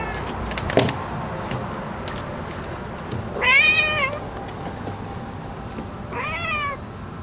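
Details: Cat meowing excitedly after finding a cicada: two drawn-out, wavering meows spaced about three seconds apart over a steady background hum, with a faint sharp click early on.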